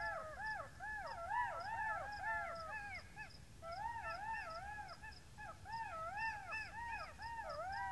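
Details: Golden jackal howl chorus: several animals giving rapid, overlapping, wavering yips and wails that rise and fall in quick arches, continuous throughout, with faint regular ticking behind.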